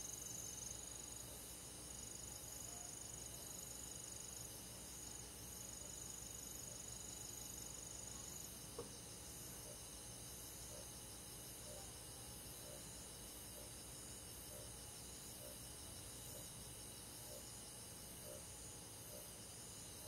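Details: Crickets and other insects of a rural forest on a summer night, a steady shrill high trilling chorus with a beaded texture, soft lower pulses about once a second, and a thin whistled tone in the first seconds.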